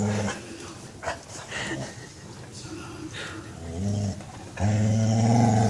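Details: Beagle being massaged, pleased: a brief low groan at the start, a quiet stretch of rustling and short murmurs, then a loud, sustained deep moan to the end.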